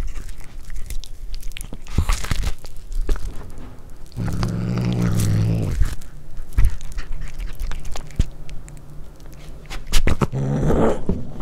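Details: A cat tries corn for the first time, chewing noisily and letting out a low, droning growl of over a second midway. Crunching bites continue throughout, with a fainter short rumble near the end.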